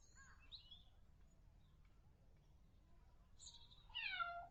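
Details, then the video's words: Kitten mews: a soft wavering cry at the start, a thin high squeak later, then a loud, falling harmonic mew to finish, over a faint low hum. "Kittens | Cat sound"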